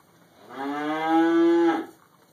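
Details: A single long, steady moo from a cow in a barn while eating hay, recorded on a mobile phone camera; the deep, harmonic call swells in the middle and ends abruptly.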